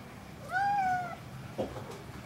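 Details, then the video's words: A single clear, sustained cat meow lasting under a second, rising slightly then gently falling, followed by a faint short click-like sound in a quiet room. "the cat singer"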